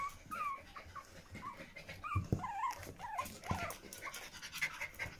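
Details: Young Pomeranian puppies beside their mother, producing a series of short wavering squeaks and whines, with scattered rustles and bumps as they crawl around.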